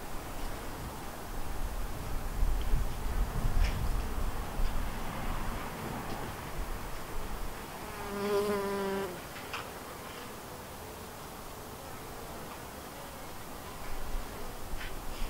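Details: Honey bees at a white hive split from another colony: low rumbling buzz in the first half, then one bee passes close at about eight seconds with a clear, rich droning hum lasting a second before a softer steady buzz.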